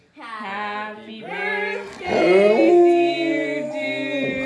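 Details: Dude, an Alaskan Malamute on his 8th birthday, joins in with drawn-out, sliding, wavering howls as people sing Happy Birthday before his birthday treat, his voice rising over the tune and blending with the singing.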